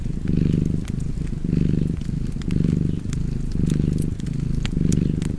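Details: Close, rumbling purr of a cat near a hearth, pulsing in regular swells about once per second as it breathes, with faint crackling of fire in the background.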